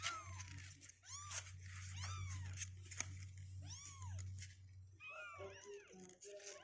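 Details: Two-week-old kittens climbing out of their box mew in short rising-and-falling squeaks, some clustered close together, over a constant low hum, with a few flatter tones near the end.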